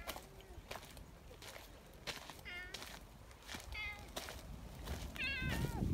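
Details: Greeting meows from one of two friendly community cats, the big black boss cat Don-chan and a black-and-white tuxedo cat, lined up outdoors: three short harmonic-rich mews spaced about a second apart, with footsteps and rustling underneath.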